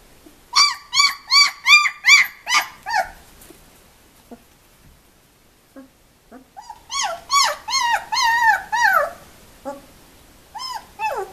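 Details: Two-week-old puppies from one litter, indoors: a rapid series of high, arching squeals and whines, about a dozen in a row, a short pause, then another long run of rising-and-falling cries.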